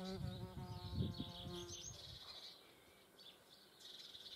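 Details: German wasps at a feeding place: a low, steady humming buzz with stacked overtones that holds for about two seconds, then fades. Small birds chirp and twitter high in the background throughout.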